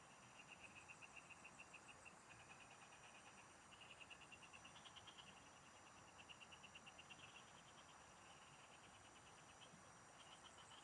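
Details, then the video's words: Several frogs singing in the fields, heard while someone fishes; rapid pulsed trains of clicking notes at a fairly high pitch, overlapping callers starting and stopping, over a steady high insect hum and faint low rumble. "Pikinggan mo Ang MGA huni Ng MGA Palaka SA bukid| Relaxing Frog Singing"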